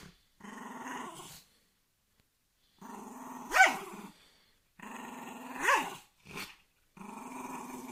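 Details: Angry dog growling in long rumbling bouts, each swelling into a harsher snarl, with short gaps between and a brief click-like sound near the end.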